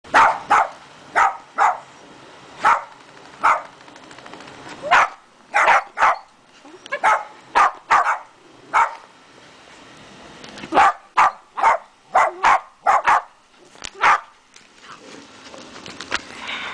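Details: Several Dachshunds barking as they meet a Santa: sharp, separate barks in uneven bursts, sometimes single and sometimes in quick pairs or triplets, with short quiet gaps between them.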